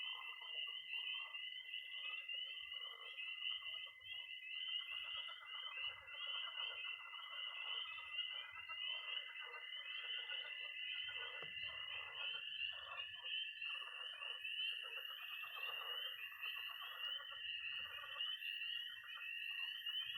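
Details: Early-spring night in Missouri: tree frogs, pond frogs and toads calling together at a pond. A continuous high trilling and peeping chorus blends with a steady piercing tone and softer, lower chattering calls throughout.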